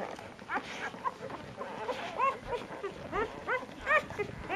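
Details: Nursing puppies of one litter squabbling over their mother at dinner time, the two smallest pups fighting; short high arched squeaks and whines, rising then falling, come in quick overlapping bursts through the clip.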